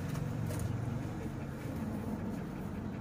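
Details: Loud rumbling vehicle traffic fills the scene outdoors, with faint speech and no animal voice heard.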